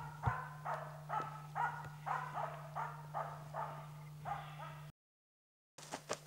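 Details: Finnish Spitz barking at a bird it has found, guiding the hunter: a steady run of about nine sharp barks, roughly two per second, then a sudden cut to silence and a brief return of barks, low hum underneath.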